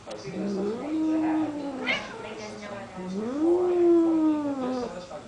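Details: Cats named Simon, Binx, Piper and Lola hanging out together; two long drawn-out meows with strong harmonics, each rising then sliding down, the second higher and louder, with a brief faint call between them.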